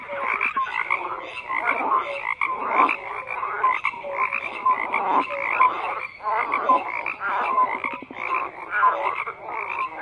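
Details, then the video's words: Dense chorus of croaking frogs, grating calls overlapping with brief tonal pips, rising in bursts roughly every second and a half with short dips between. "FROGS CROAKING"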